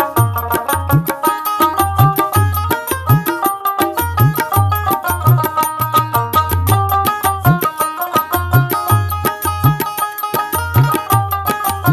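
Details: Rhythmic folk music with tabla drumming and plucked strings plays throughout, with no animal sound audible.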